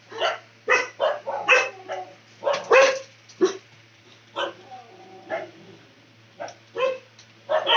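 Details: Dog barking loudly, a rapid series of harsh, broad barks, about fourteen in under eight seconds, some in quick doubles and triples, with a short whine between bursts.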